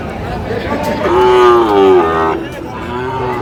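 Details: Sahiwal cattle at a Noakhali market in Bangladesh on 2 July 2025, during the sale of a Sahiwal bull calf: a strong, tonal moo lasting about a second, held level then sliding down, with men talking before and after.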